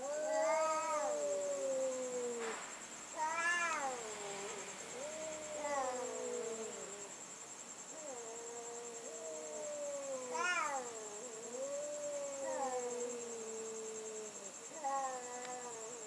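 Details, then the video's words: Cats trading yowls in a night sound battle, with long wavering moans and sharp rising-then-falling cries overlapping almost without pause, and a constant high-pitched whine behind them. "Cat Sound Battle at Night"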